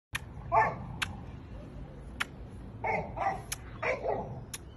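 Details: Chow Chow puppy giving short, high yappy barks in scattered bursts, several close together toward the end, with sharp clicking sounds in between.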